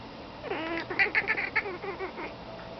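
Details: Feliciano, a domestic cat, watches crows outside and makes a rising meow that breaks into rapid, clipped chirps repeated about six times in half a second, then trails off into softer wavering mews.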